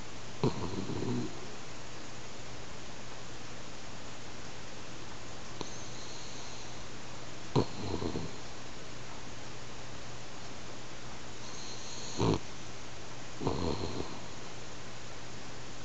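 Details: Hanako, a pet French Bulldog, asleep at home and snoring like an old man: short rasping snores at irregular intervals, with a few seconds of quiet room hum between them.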